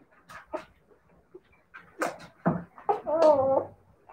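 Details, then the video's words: Siberian Husky puppies indoors giving a run of short, sharp whimpers and yelps, ending in a longer wavering, harmonic whine-howl that rises and falls over about half a second. "siberian husky puppies"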